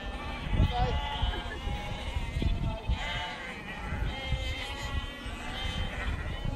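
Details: Sheep being herded by a Border Collie at Snowdon, UK, on 1 September 2019; several overlapping wavering bleats rise and fall over a steady low wind rumble.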